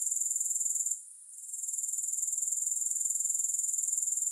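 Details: Grasshoppers sounding with no music: a high, fast-pulsed sizzling trill that dips briefly about one second in, then returns and continues evenly.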